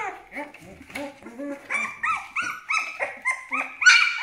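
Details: A twelve-day-old Aksaray Malaklı pup gives a run of short whines, arched and tonal, speeding up to about three a second and climbing into shriller, louder squeals at the end.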